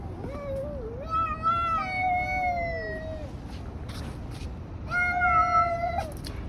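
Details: Cats fighting on a street: drawn-out wavering yowls, one swooping then sliding downward, a pause, then another level moaning howl, with low rumble and faint clicks behind.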